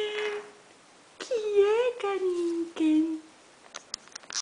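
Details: A female Dachshund, playing around her new bed with a bow and walking backwards indoors, gives drawn-out, wavering whines that slide gently up and down in pitch.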